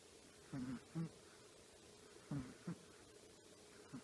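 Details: A 10-year-old female Chihuahua named Choppi snores lightly in her sleep, giving brief low nasal buzzes in quick pairs, separated by quiet pauses, in a still indoor room.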